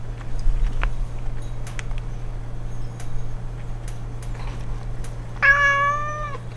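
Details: Kittens gather at the front door as their owner heads out; near the end a single clear, drawn-out meow rises then falls, over a steady low electrical hum and faint room clatter.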